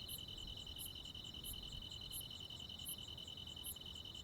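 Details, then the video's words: Crickets and insects on a summer night in the country. A rapid, even trill continues beneath six sharp, high-pitched chirps spaced roughly 0.7 seconds apart. A quiet background lies below. "시골 야간 귀뚜라미, 벌레 소리"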